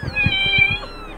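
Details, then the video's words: Two-week-old kitten among stray cats in Jakarta, its eyes newly open, walking under a shelter: one thin, high, drawn-out meow, steady and slightly falling, with soft low thumps beneath. "Anak kucing umur 2 minggu"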